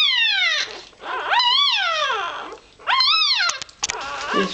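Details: A few-hours-old Irish Terrier pup squeaks while looking for warmth and milk; descending then arched wailing squeals with bright harmonics, a few short clicks and scuffles near the end.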